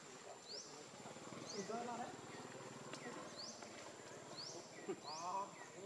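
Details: Leo, a baby monkey begging its mother for milk, lets out brief wavering whimpers near the second and fifth seconds among rural outdoor noise and regular high upward chirps.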